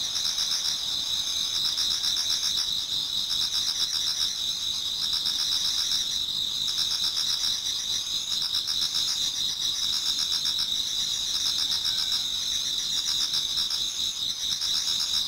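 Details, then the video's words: Towards dawn in autumn, many insects sing together in a Japanese garden, producing an even, high ringing trill with rhythmic pulsing notes running through it. "Autumn Insects voice Towards dawn"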